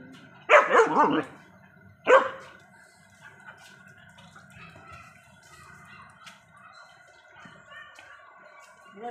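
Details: German Shepherd dogs, a male and a female, giving two loud barks near the start, one rough and doubled, one short, then quiet with faint hum and a person speaking nearby.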